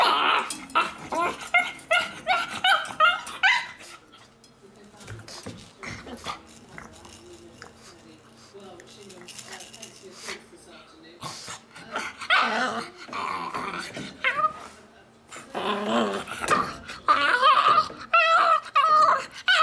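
A pug makes bursts of squeaky, chattering yelps that sound oddly like a monkey.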